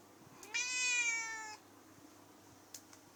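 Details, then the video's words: Chatty female cat, which also yawned during the recording, utters one sustained meow of about a second, steady and slightly falling, followed by quiet with a couple of soft taps. "Talking and yawning cat"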